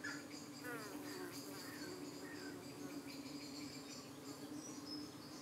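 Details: Honey bees at a UK hive entrance on an evening when darting flies try to settle on their abdomens while the bees defend themselves; a steady low hum with passing buzzy wingbeat sweeps and a few faint high chirps.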